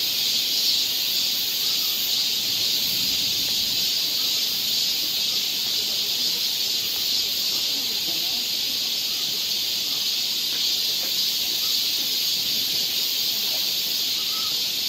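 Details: Summer cicada chorus on a Seoul forest trail in Korea: a bright, sustained sizzling buzz that stays level across the whole passage, with soft low rustling underneath.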